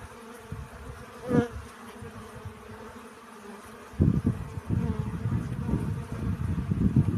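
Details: Pollen-collecting honey bees, a brief buzz early on, then from midway a steady, louder low droning hum of bees flying close.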